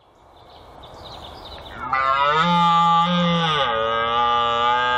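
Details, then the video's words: Red deer stag roaring in a Chris Watson field recording: after two seconds of quiet rustling background, a loud, deep, harmonically rich bellow bursts in and holds for about three seconds, dipping slightly in pitch near the end. "Red Deer Stag Roar"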